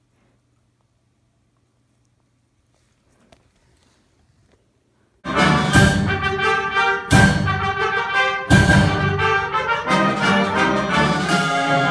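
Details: Near silence with a faint low hum for five seconds, then loud orchestral brass music with no animal sound heard.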